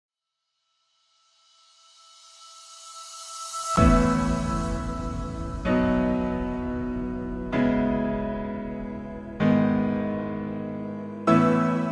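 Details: Soft piano music: a swelling intro followed by sustained chords struck roughly every two seconds, with no animal voice.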